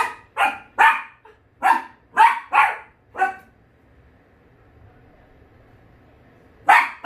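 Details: Dachshund barking at a house-repair visitor: a rapid run of about seven loud, sharp barks in three seconds, then quiet, then one more bark at the end.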